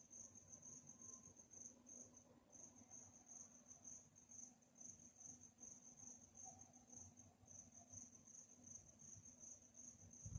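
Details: Crickets chirp through a calm nighttime atmosphere, a shrill rapid pulsing trill broken by a brief pause early on, with a low background hum and a soft knock at the very end.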